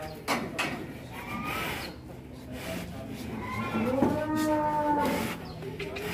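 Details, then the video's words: Agitated, heavy cattle led out of the pen toward the weighing scale give a drawn-out moo with falling harmonics near the end, while men talk and call out close by and music plays in the background. "SAPI KELAS EXTRIM NGAMUK DI BAWA SAM BOCIL KELUAR KANDANG"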